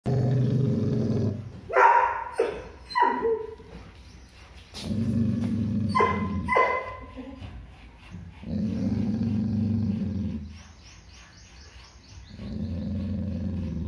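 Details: Labrador Retriever growling in fear-based aggression: a deep, rumbling growl broken by several sharp, loud barks and snapping bursts, then falling back into low sustained growling.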